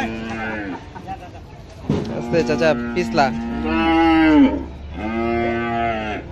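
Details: Aussie bull unloaded at Paragram Haat cattle market in 2017: several long, low moos, each a sustained bellow of steady pitch that dips or rises at the end, separated by short pauses, with a faint background hum.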